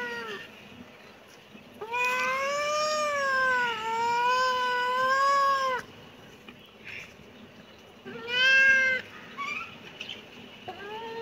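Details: A kitten lets out a long, drawn-out meow lasting nearly four seconds, then a shorter sharp mew and the start of another, all rich in harmonics over a quiet background.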